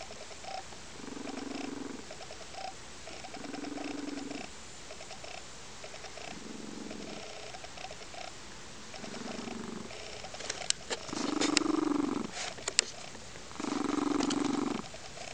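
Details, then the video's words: A foster lynx-point Siamese cat, content on a sunny windowsill on a weekend afternoon, purrs loudly in steady, rumbling pulses that swell every couple of seconds. "Crystal, the World's Loudest Purring Lynx-Point Siamese Cat!"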